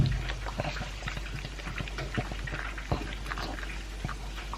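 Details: Pug named Elvis, two years old, munching dry kibble with a chunk of beef. Steady wet crunching and slurpy clicks, densely packed and irregular, with one louder chomp near the end of the third second.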